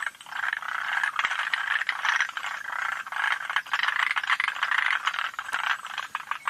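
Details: Rattling frog chorus of forest green tree frogs at Yoshitani in June 2025: rapid pulsed chattering that rises and falls in bursts of one to two seconds, sustained across the whole stretch, with scattered ticks.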